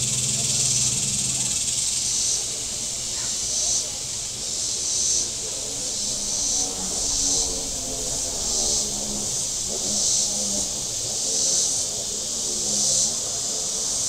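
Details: Cicadas calling from the shore of Table Rock Lake in southern Missouri on a very warm Saturday: a high, hissing chorus that swells in pulses about every second and a half, with a faint low boat rumble beneath.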